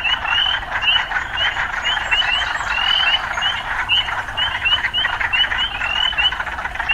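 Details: Loud frog chorus in a city setting: continuous rasping croaks beneath many quick, rising chirps packed closely together, several each second.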